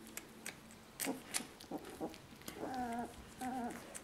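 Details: Two-week-old puppies nursing at their mother Lucy: soft clicks and rustles, then two drawn-out, slightly wavering whines, each lasting about half a second, close together near the end.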